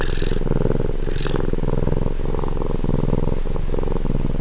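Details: Cat purring right next to the microphone: a deep, rattling vibration pulsing in regular inhale and exhale phases, each lasting under a second, steady and loud throughout.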